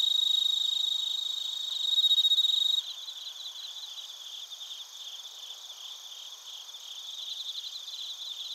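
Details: Chorus of bell crickets and other crickets at Narita in Chiba, Japan, recorded on a TASCAM Portacapture X8: a louder ringing tone for about three seconds, then quicker, evenly pulsed high chirps about four per second.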